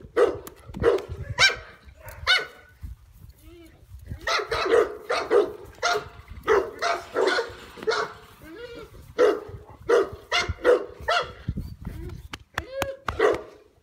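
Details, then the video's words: A huge 16-month-old dog at play, giving a long series of short, bright barks and yips in irregular bursts, some clustered in quick pairs, with brief pauses between runs. "Olaf at 16 months having fun."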